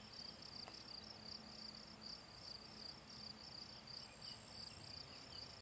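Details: Gryllus campestris singing by the Draga valley ponds, 18 June 2023: even, rapid high-pitched chirping, each chirp a brief trill, repeated roughly three times a second, with a faint low hum behind.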